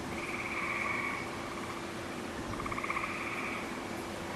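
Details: Gray tree frogs singing in a wolf exhibit on a June 2010 day after recent rains; two rapid pulsed trills, each roughly a second long, with a soft rustle between them.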